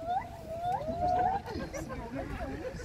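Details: A white-handed gibbon, one of a territorial group high in a willow tree by Water Safari Lake at African Lion Safari, Hamilton, Ontario, gives a long, clear, slowly rising hoot, then a person talks.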